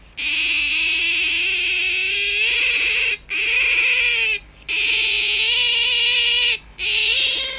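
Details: Hand-raised domestic otter acting as a morning wake-up call: long, loud, sustained nasal squeals, each lasting over a second and gently rising and wavering, separated by short breaths, with a low electrical hum beneath.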